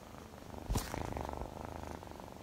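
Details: Purring Scottish Fold kitten, close low pulsing rumble with a short thump early on, recorded indoors.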